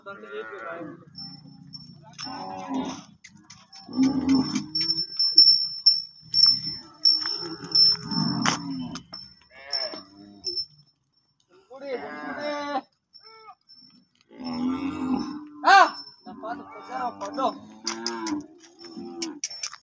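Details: Cattle at a cow shelter in India, many cows together, mooing in repeated drawn-out low calls, several overlapping, with a clinking bell-like tone and background music and human voices between calls.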